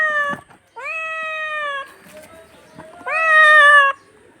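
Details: Domestic pet cat meowing: a short call, then two long, steady, loud meows, each starting with a quick upward slide and held for about a second, separated by a quiet gap with faint background noise.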